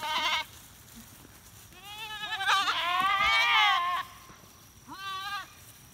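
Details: Dairy goats led by a goatherd and a Komondor livestock guardian dog through a monastery apiary toward home pasture in rural Appalachia: a short bleat, then a long wavering overlapping bleat, then another short one.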